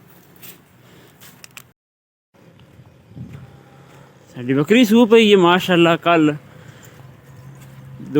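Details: Goat on a farm in Punjab that has just given birth to two newborn kids; one drawn-out, quavering bleat of about two seconds with a wobbling pitch, preceded by low hum and faint rustling.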